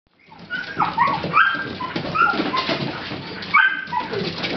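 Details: Dogs playing and chasing at a dog run, one a Bichon Frise that took a favourite toy: short high squeaky whines and yips over a noisy background of scuffling and movement.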